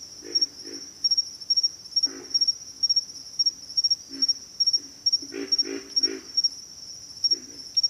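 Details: Pig frogs give rough, low grunts, some single, some in rapid runs of three, scattered across the stretch, with a continuous shrill insect chorus in the background.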